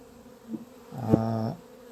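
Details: Honey bees from a swarm that panicked on finding itself queenless, 28 April 2026. Over a quiet background drone, a single loud, rich buzz swells for half a second, full of stacked overtones, as a bee passes close, after a short faint buzz.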